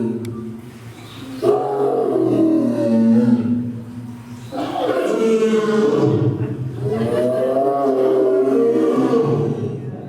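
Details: Amur tiger, also called Siberian tiger, roaring: a long, harsh, deep roar of about three seconds, then a second drawn-out roar lasting over five seconds with rising and falling strained tones, no other clear sounds.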